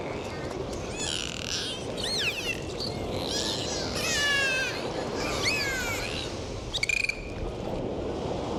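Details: Dolphins swimming and playing in the sea give rising and falling whistles with arched, wavering tones in quick succession, over a steady wash of sea noise and a few short clicks near the end.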